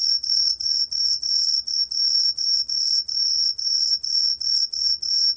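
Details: Repeated high-pitched ringing chirps of a green pine cricket, slightly longer pulses separated by short gaps, steady and bright, in an otherwise quiet setting.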